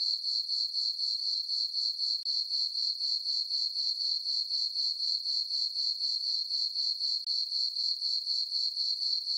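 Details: Summer-night cricket chorus from a moonlit farm meadow: one high, shimmering note repeated in rapid, evenly spaced chirps, roughly four a second, with one brief dip in loudness and nothing else audible.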